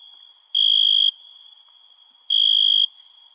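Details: At night a cricket gives two shrill trills about half a second long, nearly two seconds apart, with a steady high insect drone continuing underneath.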